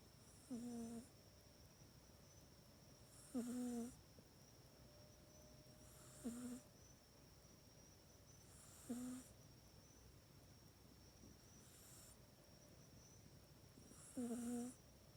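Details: Pet cat Mac sleeping in its cat bed during the night, captured with an iPhone 8; five short snoring breaths, each a low buzzy note with airy hiss, spaced roughly two to three seconds apart in a quiet room.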